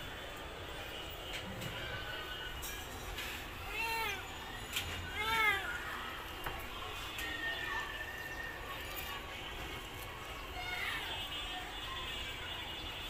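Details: Domestic cat meowing softly, two short arched meows close together near the middle and a fainter one later, over steady low background noise.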